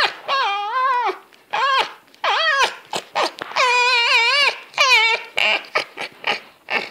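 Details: Fox calling during zoomies: loud wavering whines and yelps, several drawn out over half a second and bending up and down in pitch, mixed with short sharp bursts and scuffling.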